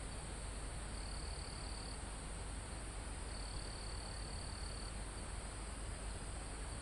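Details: Crickets near a mountaintop forest, live outdoor recording: two long, high, even trills, the second lasting about one and a half seconds, with a continuous high insect drone and windy background noise.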